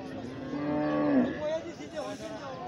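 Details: Calf giving a single drawn-out low moo, steady then bending downward near its end, followed by a short higher note and faint background noise.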